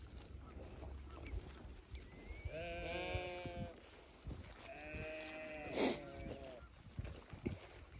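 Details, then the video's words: Newborn lambs giving two quiet, quavering bleats near the middle, with a short sharp squeak between them, against a busy background of rustling and low rumbling noise. "Newborn baby sheep so beautiful"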